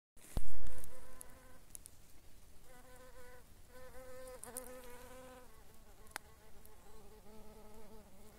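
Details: ['Sandy carder bee, a bumblebee said to be recognisable by its voice and generally fairly rare: a loud knock opens, then a low droning buzz in bursts, its pitch wavering and dipping, with short ticks and faint background hiss.']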